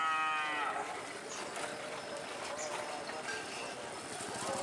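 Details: Madura cattle in training for a karapan sapi bull race on Madura, East Java, Indonesia. A brief falling moo opens the clip, followed by steady outdoor noise.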